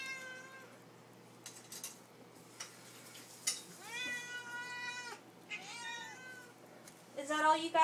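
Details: Begging for supper, Lily the cat lets out a long level meow followed by shorter bent meows, with a woman coaxing her and faint kitchen clatter in the background.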